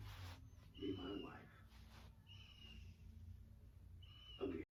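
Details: Sleeping Labrador puppy Odin snoozing on a sofa, each slow breath a soft rasp, with a faint high whistle drawn out after some of them, and a low hum running underneath.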